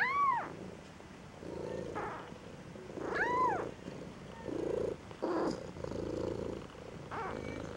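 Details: Two-week-old Maine Coon kitten, dissatisfied, at a cattery in Saint Petersburg, Russia, gives two thin, arching mews about three seconds apart, with low rough purring grunts between them.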